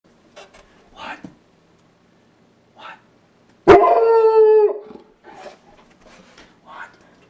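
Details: Kelly, an 11-month-old Bernese Mountain Dog, looks out a house window at horses in the neighbouring field. Soft huffs and whines come first, then one long drawn-out bark-howl, followed by quieter grumbles.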